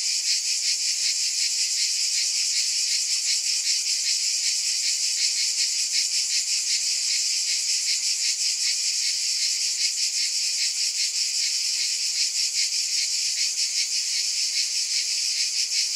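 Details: Sustained cicada buzzing for the whole stretch, a bright sizzling drone with a fast regular throb near three beats a second and no background noise.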